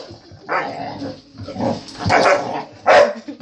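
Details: A family dog barking at a vacuum cleaner indoors: four short, rough barks spaced irregularly over a few seconds, the last one loudest, with low household rumble underneath.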